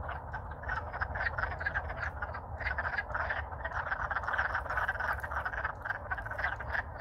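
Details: A dense chorus of wood frogs in Alaska, singing loudly while courting in spring after thawing out, gives rapid, duck-like clucking chuckles that overlap without pause.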